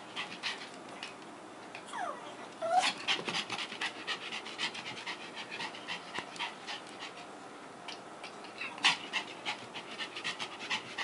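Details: Female Pomeranian lying still like a seal while being dried with a hair dryer, filmed 21 February 2018 at 1:11 AM; quick breathy panting bursts over the steady roar of the dryer, with a short squeak near three seconds.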